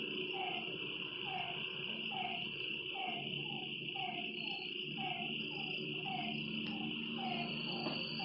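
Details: Frogs calling at night by a lake, short throaty notes repeated about every two-thirds of a second beneath a loud, steady high insect drone.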